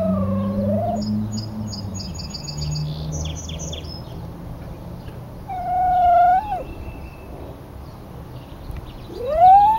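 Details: Lucky the dog crying after his brother left for a walk without him, several drawn-out whines, some bending up then down, others rising, with faint high chirping sounds early on.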